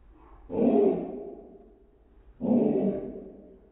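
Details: Sadie, a dog, harassing the cat: two drawn-out, low, harmonic barks about two seconds apart, each swelling quickly and fading over roughly a second, with no other clear sounds.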